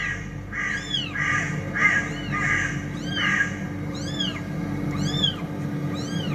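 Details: Cats said to be fighting: a quick series of short meows, the early ones smeared and overlapping as if from several cats, later ones clean and arched, over a continuous low hum.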